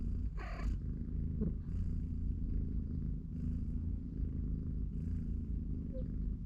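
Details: Three-week-old kittens play beside a cardboard box while their mother cat watches, giving a steady low rumbling purr throughout, with brief higher rustles and squeaks over it.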